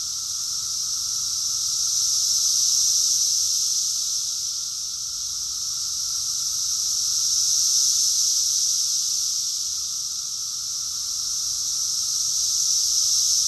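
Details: Summer cicada chorus from Rockville, Maryland, USA, June 2021. Countless insects merge into one shrill, continuous buzzing wall of sound that rises gently to a peak midway and eases off again, with no other voices.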